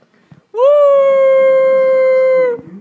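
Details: Louie, an indoor pet dog, baying along with a beagle heard on television: one steady, sustained tonal howl held for about two seconds at an even pitch, ending in a slight drop, with a quiet room otherwise.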